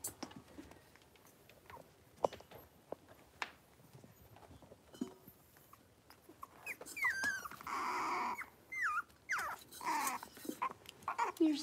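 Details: Playful young Cavalier King Charles Spaniel puppies in a pen. Quiet shuffling gives way to a run of thin, high whimpers and yelps that rise and fall in pitch and repeat over the last five seconds.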